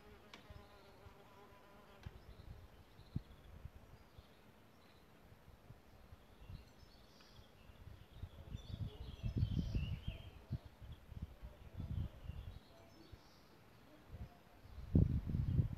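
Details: Solitary bees nesting in a bug hotel, recorded from a live stream; low buzzing wingbeats come and go in short bursts, swelling louder in the second half as bees fly close, with faint birdsong in the background.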